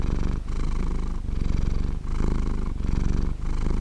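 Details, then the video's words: Purring of a contented domestic cat, recorded in high quality: a rich, low throbbing rumble rising and falling with each breath, with four or five short breaks between phases and nothing else audible. "gato ronroneando"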